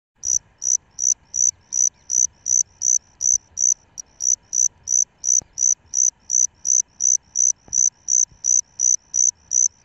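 A Salmanites cricket calls with high, ringing chirps repeated steadily almost three times a second.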